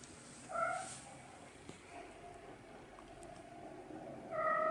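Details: Kitten mewing twice, about four seconds apart. Each call is a short, clear, tonal meow, the second slightly longer. A steady low background hiss runs between them.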